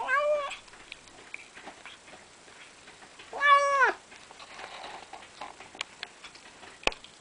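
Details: House cat eating food it was given, two clear meows about three seconds apart, each rising then falling, with soft chewing and clicking noises between them.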